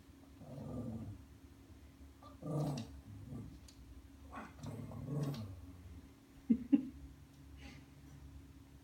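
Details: Ollie, a pet Lhasa Apso, growls in frustration indoors at an automatic feeder that stays closed to him; several low rumbling growls in bursts, a few sharp clicks near the end, steady electrical hum underneath.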